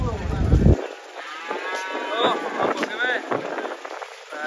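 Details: Black banteng, raging after breaking loose while being unloaded from a truck, gives a drawn-out harmonic moo lasting several seconds, with a heavy thump at the start.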